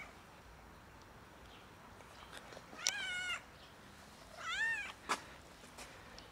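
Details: Domestic cat seeking a favour, apparently hungry, utters two clear, drawn-out meows a little over a second apart, each bending up then down in pitch, followed by a sharp click over quiet background hiss.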